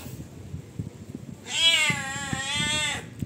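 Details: A rowdy pet cat making demands gives one long, loud meow lasting about a second and a half, steady with a slight waver and sharp start, after quiet low thumps and faint household sounds.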